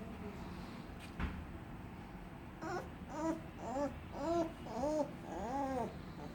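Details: Little puppy making weird moaning sounds: after a quiet start broken by a single knock, a run of short, arched whining moans follows about every half second, each rising then falling, growing longer and louder.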